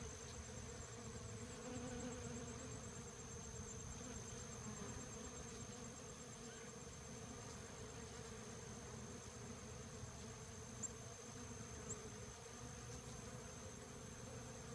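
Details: Honey bees swarming Rio Grande Purslane flowers at the LSU AgCenter Hammond Research Station, a steady low droning hum that holds throughout without pause, with a faint constant high tone above it.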